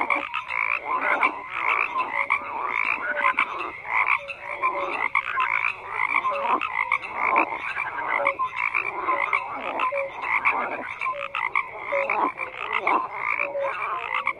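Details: A dense chorus of many frogs croaking together, with overlapping raspy, pulsed croaks that surge and fade every second or so, and short clear whistle-like notes scattered through the constant calling.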